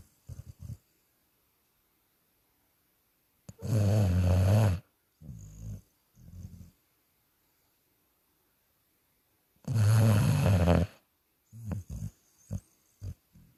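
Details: Dog snoring while asleep, deep rattling snores about a second long recurring roughly every six seconds, with softer short snorts and breaths in between.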